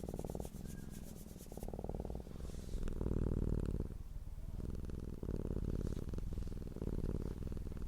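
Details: Cat purring in contentment, heard as a low, pulsing rumble of rapid throbs, about four a second, swelling and fading in uneven stretches in a small quiet room.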